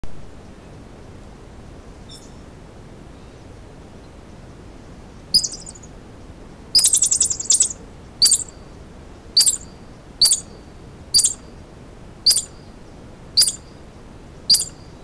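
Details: A terrified squirrel hiding in a rocky boulder gives sharp, high chirping alarm notes, repeated about once a second, as a gray fox (Urocyon cinereoargenteus) hunts it but cannot dislodge it.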